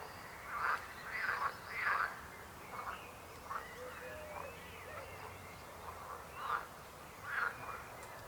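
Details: Croaking frogs, a quick cluster of three throaty rasping calls at the start, then spaced single croaks every second or so, with softer calling between them.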